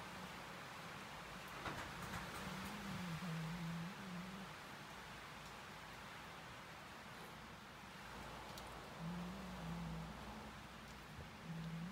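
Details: Soft broadband road noise and rustling with a faint low engine-like drone, and no animal calls present.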